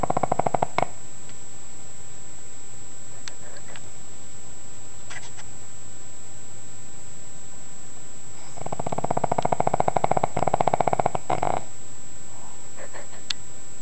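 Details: Sleeping pug snoring loudly, a rough rattling snore that surges for about three seconds late in the recording, with a few faint snuffles earlier, over steady indoor hiss and a constant high electronic whine.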